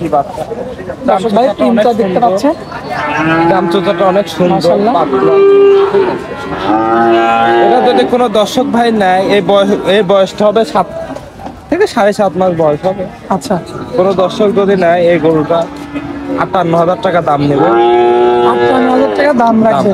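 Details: Young bulls for sale at Oronkola cattle market after Eid, lowing repeatedly over twenty seconds in several moaning, wavering moos, some overlapping, amid constant crowd chatter and calls of traders.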